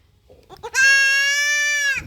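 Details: Goat kid being castrated lets out a drawn-out, loud, level bleat of over a second. Rich harmonics give it a nasal quality, and soft huffs lead into the cry.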